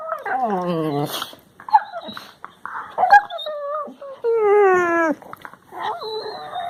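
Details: Labrador Retriever puppies making funny noises, recorded March 16, 2020: strong harmonic whines sliding downward, a rising-then-falling howl-like cry near the middle, with shorter yelps and squeaks between.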